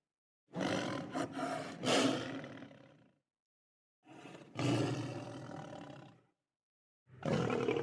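A lion gives deep, rough roars in separate bursts of two to three seconds.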